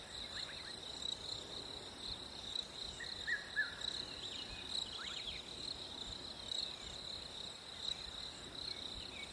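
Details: Crickets on a hot summer day: a steady, high, unbroken trill holds at one pitch throughout, while faint, brief chirps from birds drift in and out beneath it.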